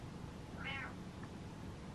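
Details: Single short meow from Butters, a house cat demanding the lights be turned on rather than stay in the dark, a brief arched call over a soft low indoor rumble.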